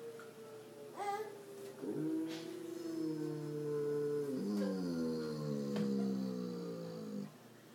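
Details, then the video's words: A Bouvier des Flandres named Zeb howling along with a tornado siren, giving a drawn-out, wavering wail of layered tones that shift in pitch for several seconds over the siren's constant drone. "Zeb the Howling Bouvier"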